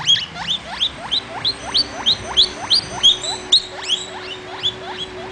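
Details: Vitalis the baby guinea pig wheeks in a clear, regular sequence of high rising squeals, roughly three per second, each ending in a sharp peak, over quiet background hum.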